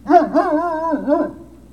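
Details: Great Dane puppy whining at Puppy Hill, 03-06-2019, late afternoon: a loud, tonal, drawn-out cry with several rising-and-falling arches, the longest held note in the middle, trailing off after about one and a half seconds.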